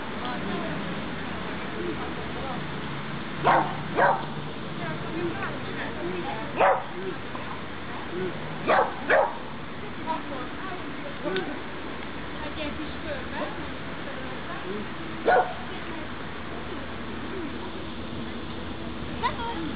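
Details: Pixel, a dog at obedience practice on 23 June 2012, gives short sharp barks scattered through the clip, singly and in quick pairs with longer gaps between, while people talk quietly throughout.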